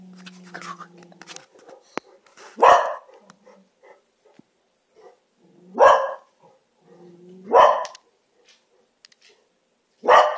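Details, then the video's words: Dogs yelling and arguing with each other for reasons unknown; four loud, harsh barks spaced about two to three seconds apart, with a low hum and small clicks and thumps between them in a small room. "Dogs yelling at each other"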